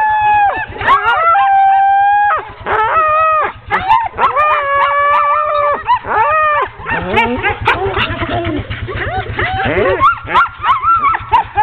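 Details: Sled dogs of a ten-dog team being hooked up for a training run on 16 October 2010, an excited chorus of overlapping high yelps, whining howls and sharp barks, some calls held and wavering, with a steady low rumble underneath.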